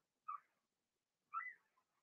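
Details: Blenheim Cavalier King Charles Spaniel puppies from a litter of six, indoors in a puppy pen during potty training; two short, high squeaky whines about a second apart, the second longer and wavering, otherwise quiet.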